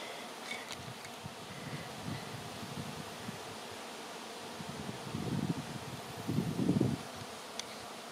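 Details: Honey bees swarming through the air, later clustering on a branch to be moved to a new home, make a continuous low buzzing drone that swells louder in two bursts near the end.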